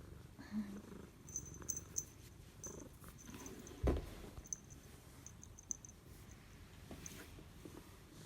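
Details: Purring of a contented 13-year-old rescued female spotted cat, just back from a night outdoors and greeting its owner indoors; steady low pulsing rumble throughout, with a brief thump midway and faint rustling.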